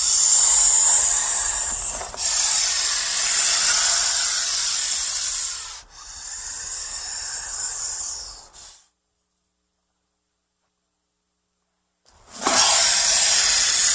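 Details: Snake hissing when frightened or threatened, several long loud airy hisses in a row with brief breaks, a silence of about three seconds, then another strong hiss starting abruptly.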